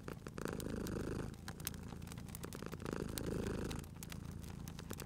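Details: Purring cat asleep near a crackling fireplace; a rumbling, vibrating purr grows louder on each breath, twice in the stretch, against a background of crackling, popping firewood.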